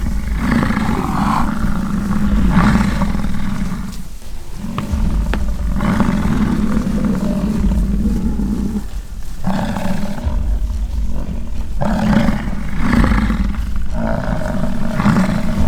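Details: American bison clashing in rutting season at a ranch near Fort St. John, British Columbia, Canada; repeated low, guttural roars of about two seconds each, broken by short gaps, with a rough grinding edge and constant deep rumble.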